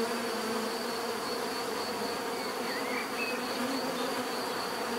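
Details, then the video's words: Bees droning together in a full, level buzz that never pauses; a couple of short whistled chirps from another animal slip in around the middle. "bees therapy relaxing natural buzzing sound"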